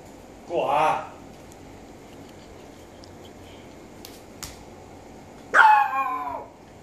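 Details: Japanese Chin (Japanese Spaniel) giving two drawn-out barks, one near the start and a louder, longer, wavering one near the end, with a couple of faint clicks between in a quiet room.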